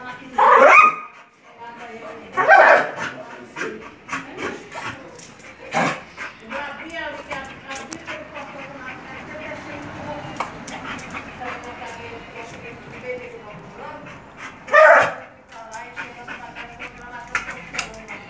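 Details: A Bull Terrier playing with a balloon gives a few loud, harsh barks: one at the start, another about two seconds later, and a last one near the end. Speech and steady tonal, music-like sounds fill the long gaps between.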